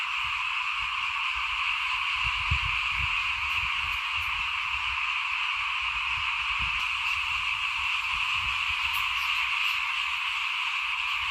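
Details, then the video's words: At rice sowing time in 2021, small frogs call in front of a house in a thick, ceaseless chorus. Scattered low thumps and knocks sound underneath the steady trilling wall. "เสียงเขียดร้องหน้าบ้าน ตอนหว่านข้าวเตรียมปลูก"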